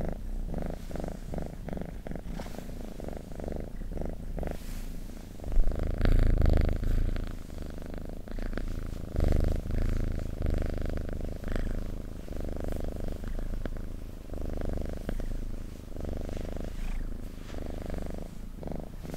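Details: Cat purring at close range, a continuous deep vibrating rumble in uneven breath-linked waves, with a brief louder burst near the middle and soft handling noises.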